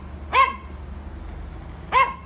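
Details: Yorkshire Terrier barking to provoke: two single sharp, bright barks about one and a half seconds apart, with quiet hum between them.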